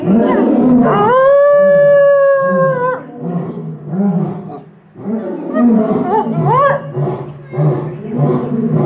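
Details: A timber wolf at Utsunomiya Zoo, Japan, gives a long, steady, mellow howl that drops off, then a shorter rising one. Its howl sounds clearly different from the other wolves'.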